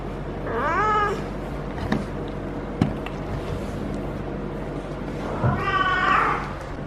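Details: Female feral cat in her first heat cycle, caterwauling for hours while being petted at the base of the tail: two drawn-out, harmonic yowls that rise then fall, one near the start and a louder one near the end, with a low background hum.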